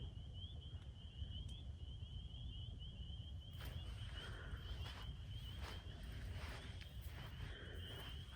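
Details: A distant chorus of spring peepers just after sundown at a campsite, a steady, high, shrill peeping over low rumbling background noise.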